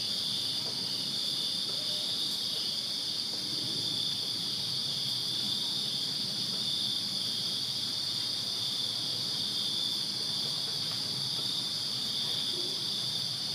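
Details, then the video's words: Crickets chirping in a backyard on a summer night in Virginia, a dense chorus forming a steady, unbroken high-pitched shimmer of overlapping trills with no pauses, over a faint, soft low background murmur. "Crickets Chirping Summer Night in Virginia"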